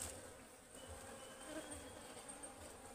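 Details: A soft, even drone of honeybees from a wild forest Ligwan beehive as it is harvested. The low hum holds steady throughout, with faint background hiss.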